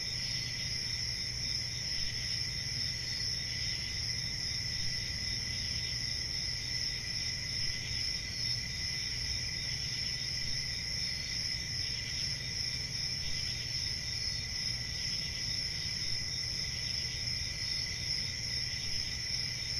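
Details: Steady chorus of crickets trilling at a high pitch without break, a dense insect drone sitting over faint low-frequency background noise.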